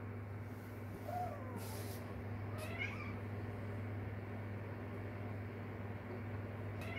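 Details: Kitten of the stray cat Kkandori calling for its mother: faint, thin meows with a rising-then-falling pitch around the first three seconds, set over a steady low hum.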